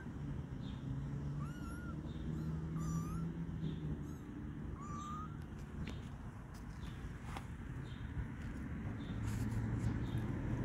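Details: Stray kitten in a backyard, at its first human contact, gives three short, thin mews in the first five seconds. Each one rises and then dips, over a steady low rumble of traffic.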